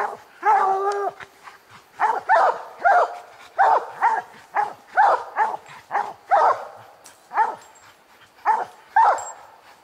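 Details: Several coon dogs, old Lucky, Mossie and young Star, bark treed on a raccoon during a hunt; a drawn-out bawl leads into steady repeated barks, roughly two each second, with brief gaps.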